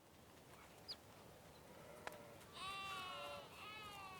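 A sheep gives a wavering, nasal bleat after a quiet start with a small chirp and a knock.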